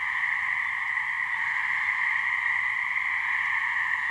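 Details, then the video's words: Gray treefrog mating chorus from a couple of frogs in a swamp, New Hampshire: constant overlapping buzzy trills that never pause, with soft low background noise. "Gray Treefrog mating call"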